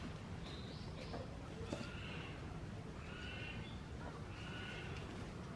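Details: Zoo gibbons in their enclosure, excitedly running around after a keeper comes inside, give short, clear, tonal calls repeated about every second and a half over a low rumble.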